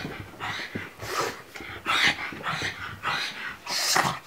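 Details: Indoors, a frightened pug reacts to a pillow with rough, growly huffs. The breathy bursts come roughly every half second to second, uneven in spacing, with some louder peaks.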